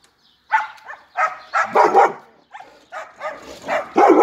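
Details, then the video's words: German Shepherd dog giving loud, harmonic, somewhat whiny barks in uneven bursts, about eight in just over four seconds, some drawn out, with short silent gaps between groups. "German shepherd dog"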